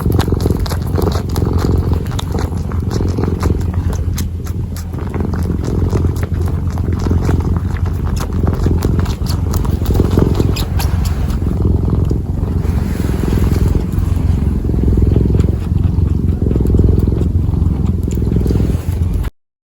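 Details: Kitten purring while kneading, recorded up close in ASMR style: a steady, deep rumbling purr running unbroken for about nineteen seconds, with soft rapid ticking and scuffing from the kneading paws layered on top.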